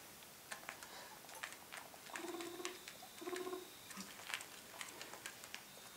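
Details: Four guinea pigs heading into their enclosure at bedtime give low, pulsed, buzzy chuttering calls in two short bursts among sharp clicks and rustling.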